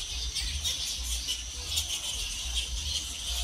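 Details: Fruit bats flying and hanging upside down in a palm tree chatter continuously in a dense tangle of shrill, overlapping squeaks and squabbling notes, with doves in the background and a low rumble underneath.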